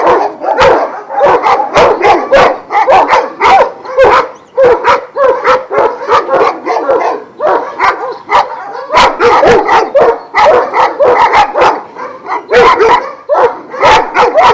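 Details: Kennel chorus of Šarplaninac sheepdogs, Vujanski bloodline, twelve dogs kept at Jasika near Kruševac: continuous rough barking from several animals, rapid irregular bursts for nearly fifteen seconds with brief breaks.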